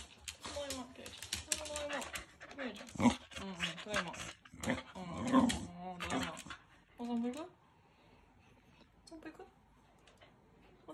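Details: A corgi greets its owner indoors with a somewhat Yoda-like voice: wavering, moaning whines and grumbles rising and falling over about seven seconds, mixed with a person's speech, then a quiet room.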